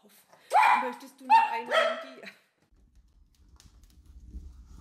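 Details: Wiener dog, a Dachshund, lets out three loud, strained, howling barks in a row in an indoor room, followed by quiet low rumbling background.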